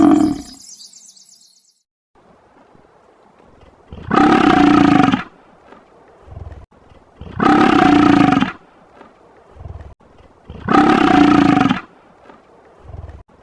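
A bison gives three deep, rough roaring bellows, each about a second long, spaced a few seconds apart.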